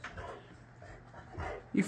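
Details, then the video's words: Layla, a female Boxer dog, throwing a tantrum indoors after a bottle cap is taken from her: low, drawn-out grumbling moans rising and falling twice, ending in a sudden sharp bark-like yelp, over faint room hum. "Boxer dog throws a huge Tantrum over nothing."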